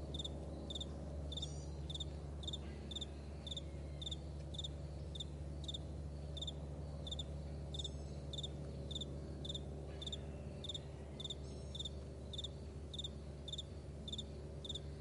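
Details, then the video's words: Crickets on a vast meadow in the morning, giving short, high, pulsed chirps about twice a second, several overlapping callers, over a steady low rumble. "Morning Crickets"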